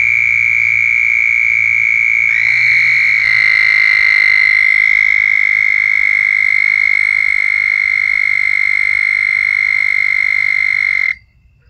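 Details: Southern toads (Anaxyrus terrestris) give long, steady, high musical mating-call trills that overlap and run on for several seconds.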